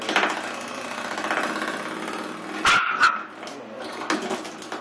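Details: Willie, an eight-week-old Pomeranian/Miniature Australian Shepherd mix puppy, attacks a door stop indoors. There are rough, continuous growling and yapping sounds, broken by sharp springy twangs from the door stop near the middle.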